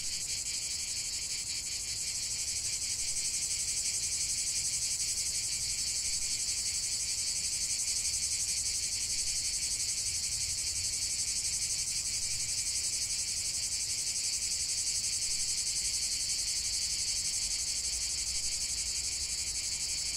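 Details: Many cicadas singing in nature for a long stretch, a constant, intense, high sizzling drone with a fine rapid pulsation that never pauses, while a faint low murmur sits underneath.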